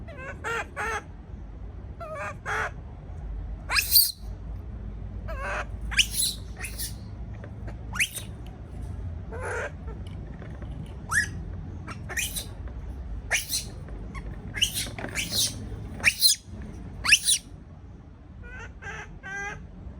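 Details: Baby monkey left alone in a cage, frightened at being by itself, gives sharp high screeches and squeals in short bursts every second or two, some with wavering harmonic tones, over a low steady background hum.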